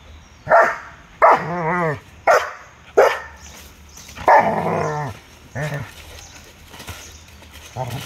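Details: Fight between a Belgian Malinois, a German Shepherd and a Rottweiler; a run of loud barks and drawn-out harmonic growling yelps, roughly one every second, with a human voice briefly audible.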